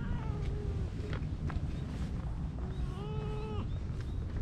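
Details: Stray cat under a bench being petted as more cats come near, giving several short, nasal meows in quick succession, the last one held longer and level, against heavy low wind buffeting and soft rustles.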